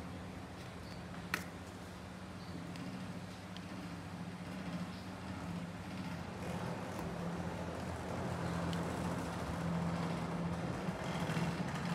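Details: Steady low rumble of passing vehicles and road traffic outdoors, with a constant engine hum and one brief sharp click, but no animal calls.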